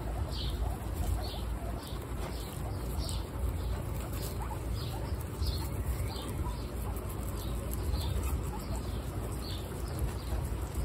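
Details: One-week-old baby guinea pigs, Snow, Pistachio and Pumpkin, kept as pets in a household of 29 guinea pigs, give short high squeaks that slide downward, repeated roughly every half second over steady low rustling and rumble.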